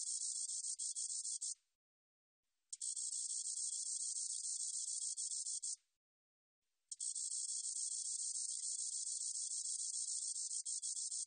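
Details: Three drawn-out, bright, sizzling buzzes from a spotted meadow katydid, each lasting a few seconds. About a second of quiet falls between them, with no other sounds present.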